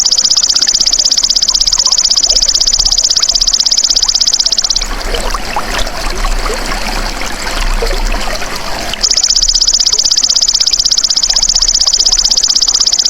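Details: Golden grasshopper (belalang emas) sound offered as songbird tutoring material: a steady, sharply pulsed high buzz for almost five seconds, a four-second gap of noisy trickling background, then the rapid trill resumes.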